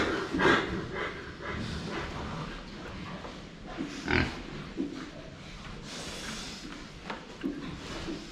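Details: Pigs called the Saigo-chans, filmed from the front while drinking water; soft, broadband grunts and snorts come in scattered short bursts, with a louder grunt near the start and another around four seconds, over low background noise.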